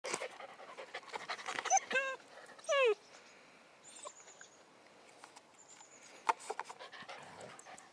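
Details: Giant Schnauzer puppies from a litter, playing by a river in Neustadt-Glewe on 24 July 2012; a few high, squeaky, downward-sweeping yelps come in the middle, set among rustling, scuffling and panting noises.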